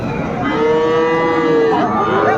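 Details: At a busy cattle market in Kushtia, Bangladesh, on 2 January 2025, a Sahiwal calf lets out one long, level moo lasting over a second, then a shorter rising call, with murmuring buyers and traders behind.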